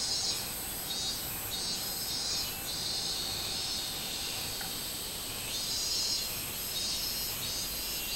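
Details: Robust cicada singing on 24 July 2016: rhythmic, shrill pulses swell near the start and again after five seconds, set against a continuous high-pitched insect whine.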